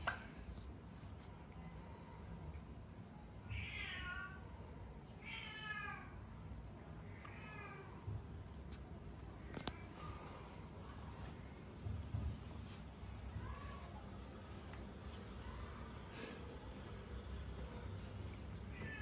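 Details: Cats in Cambodia, unhappy and trying to run away while being given vitamins; three drawn-out, wavering meows about two seconds apart, then quieter mews, over a steady low hum and faint room noise.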